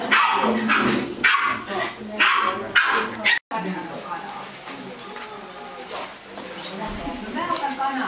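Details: Bolognese puppy at a puppy meeting in Tampere, Finland, giving a quick run of high, yappy barks, about five in three seconds. Softer whining tones follow while people talk in the background.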